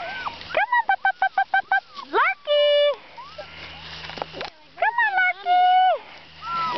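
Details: NEBCR puppies on an outdoor walk: a quick run of about eight short, evenly spaced yips, then a long flat whine and more bending whimpers, with a person's voice calling the pups between them.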